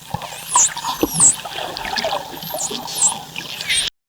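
A dolphin gives high, looping whistles that dip and rise, calling to distant companions.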